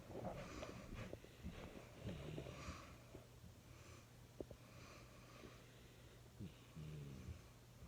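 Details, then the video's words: Small jack russell–chihuahua cross asleep, giving rapid, uneven snuffling snores and short nasal snorts, several bursts per second at times, against a faint constant low drone. "Cute Puppy Snoring"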